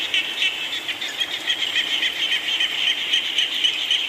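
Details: Rain-time chorus of frogs and small frogs: quick, shrill pulsed notes repeating roughly four times a second, many voices blending into one bright, unbroken band over a soft hiss.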